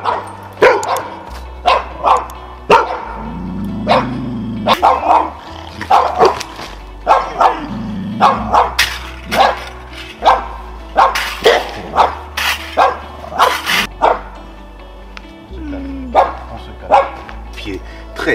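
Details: Ivar, a 7-month-old Belgian Malinois that has already bitten, barks during an aggression evaluation on an intensive training day: sharp, loud barks in irregular bursts, some doubled, across the whole stretch, over steady low background music.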